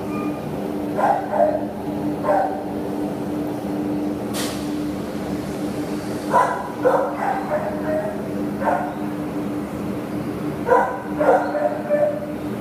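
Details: Adoptable terrier filmed 27 September 2015 barking in spaced single and double yaps, a brief sharp click in the middle, a constant droning hum underneath throughout.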